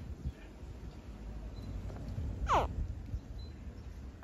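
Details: A saltwater crocodile hatchling, hatched on a farm, gives a single quick, squeaky chirp that drops sharply in pitch.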